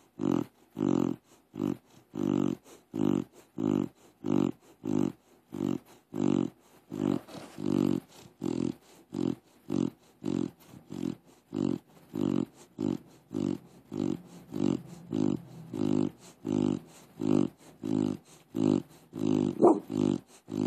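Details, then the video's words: Crush, a deaf pit bull that cannot be woken, snores in sleep with a long run of regular rattling snorts, roughly one every two-thirds of a second, grunty and pig-like, continuing unbroken for twenty seconds. "Crush snores like a pig"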